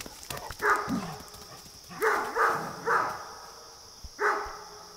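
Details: Great Dane barking at neighbourhood deer: one deep bark, then three hoarse barks about half a second apart, then a final bark, over steady background hiss.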